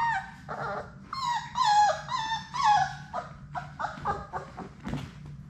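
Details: Six Labrador Retriever puppies at play in their indoor puppy play room; high, whining whimpers and short yips with bright harmonics, some sliding down in pitch, in a run of about a dozen cries, over a steady low hum.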